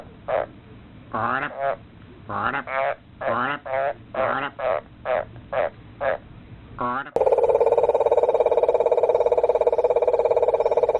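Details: Frog mating call of rapid, rattling croaks in an uneven run for about seven seconds, some notes pulsed and rising, then cut off abruptly by a loud continuous droning sound.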